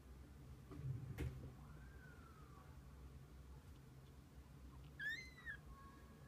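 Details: Kittens with their mother cat spending the day together; a long, soft, drawn-out meow falls gently, then later a brief pair of higher, bent mews, over a low, steady room hum and a couple of knocks.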